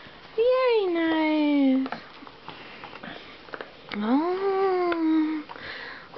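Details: Indoors at Christmas, Bubba the 2½-year-old Johnson American Bulldog reacts to his favourite gift, a large stuffed toy. Two long, clear whines rise briefly and then sag downward, with quiet rustling and sniffing in the pause.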